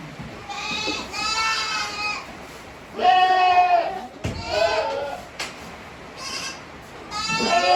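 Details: Eighteen-day-old Tokara goat kids beside their mother at a Himi goat farm, 29 April 2022. A series of quavering bleats, some short and some long, come one after another with brief gaps.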